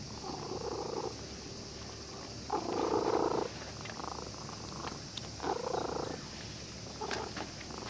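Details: Cat that had been sleeping at a fishing port, purring happily while stroked by a child who came fishing; rasping purr phrases of about a second each, rising and falling in loudness, with short pauses between.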